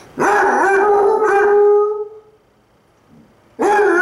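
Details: Two Basset Hounds, a brown and a black dog, howl at each other in long, wavering, mournful tones, one lying on his side as he howls back, each drawn-out howl fading before the next begins.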